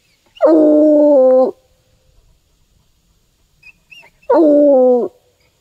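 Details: A Bluetick Coonhound, having trailed a scent through woodland to a tree, gives two bellowing bays, each starting with a rough upward break and then holding steady for about a second, nearly three seconds apart.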